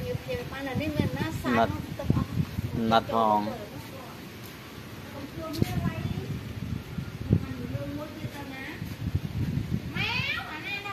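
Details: Kittens abandoned at a pagoda by their owner, being fed: scattered arching meows spaced a few seconds apart, one longer quavering cry midway and a sharper high burst near the end, over low rustling.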